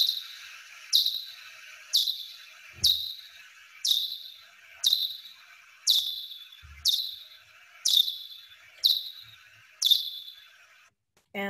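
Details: Big brown bat echolocation calls recorded in the wild at night, around 30 kHz, slowed down and heard as steep downward chirps about once a second.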